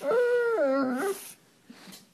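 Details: A German Shepherd refusing to get off the bed gives a drawn-out, wavering whine that rises and dips before breaking off while being asked to get down.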